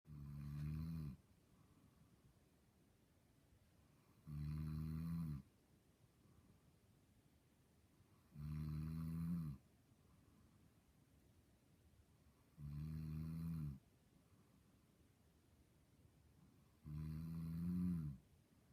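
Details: Sleeping dog, apparently dreaming, snoring indoors: five low rumbling snores about a second long, spaced roughly every four seconds, with quiet breathing gaps between them.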